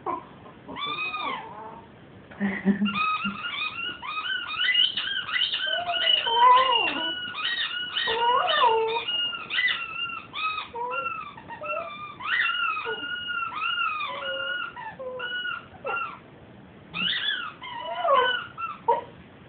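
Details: A 7-month-old male Cocker Spaniel puppy howls in high, wavering, sliding tones, almost without pause, while playing with his squeaky toy.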